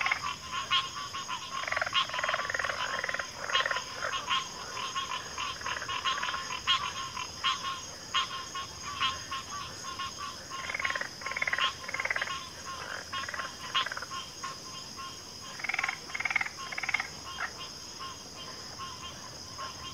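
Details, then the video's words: Backwater frog chorus of pig frogs and water frogs: bursts of grunting, pulsed croaks rise and fade in waves across twenty seconds against a constant high insect-like drone. "FROGS - Pig Frogs, Water Frogs, Backwater Chorus, & Frog Chorus"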